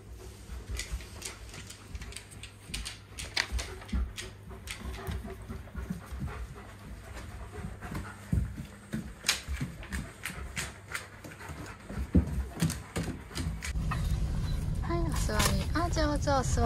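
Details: Reo, a 44 kg male White Shepherd born in 2019, pants while being readied for a trip to a dog run and told to sit. Quick, breathy huffs come about three per second, uneven, with scattered knocks and a louder noisy stretch near the end.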